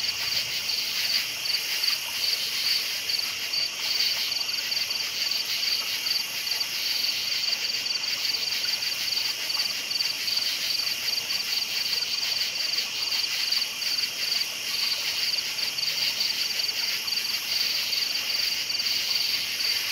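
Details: Crickets chirp at night in a dense chorus, a steady high-pitched shimmer with rapid pulsing trills.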